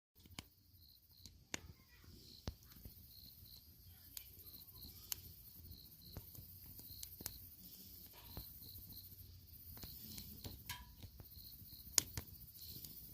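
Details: Crickets chirping at night beside a campfire while camping: short high pulses repeated steadily through the clip, with sharp crackles and pops of burning firewood throughout.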